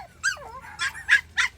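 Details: Forty-day-old country puppies, one of three, cry at the bottom of stairs they want to climb. A long wavering whine dips low, then three short, high, bright yips follow at even spacing.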